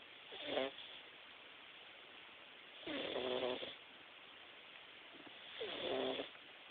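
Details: Jaxson the Himalayan cat snores loudly while taking a nap, three raspy, rattling snores with nasal buzzing overtones spaced about every three seconds against a constant hissing background.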